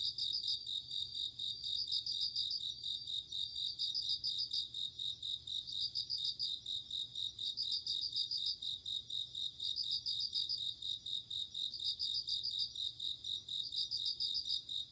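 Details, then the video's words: Night insects in autumn, crickets: a steady, shrill background buzz punctuated by bell-like pulsed trills that return about every two seconds, with several overlapping callers. "鈴虫 夜の虫 虫が鳴く夜の雰囲気 コオロギ 秋"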